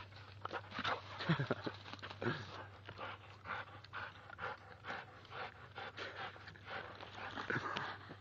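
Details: Two-year-old male American Staffordshire Bull Terrier panting heavily outdoors while playing and jumping at a tree, breathy rhythmic puffs with a few whimpers, a man's voice urging him on in the background.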